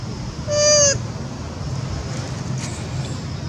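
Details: Young mother monkey on the second day of weeping for her missing baby, giving one tonal, harmonic cry of about half a second that holds steady, then dips slightly at the end, over a low rumbling background.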